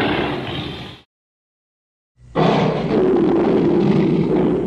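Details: Lion roar, edited: a short deep, rough burst, a second of silence, then a long sustained, harsh roar, broad and noisy, strongest in the low and middle range.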